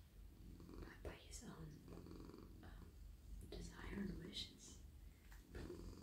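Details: Contented male domestic cat petted all over his body while lying in a lap at night gives a constant low, throbbing purr, with whispered talking and soft stroking sounds on top.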